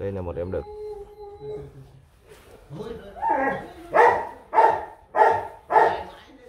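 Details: Rottweiler at a Vietnamese kennel keeping a puppy litter sired by Bruno Slenio out of Hanna Gervi; a brief tonal whine or voice opens, then a run of four evenly spaced, punchy barks roughly every half second, with people talking quietly nearby.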